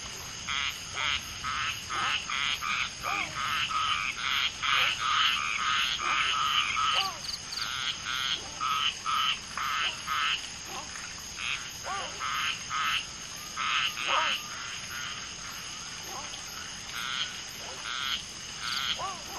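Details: Common tree frog mating, one female laying eggs while two males fertilize them, many frogs calling around; dense bursts of rapid clacking notes repeated over and over, mixed with brief rising chirps and a constant high insect hiss.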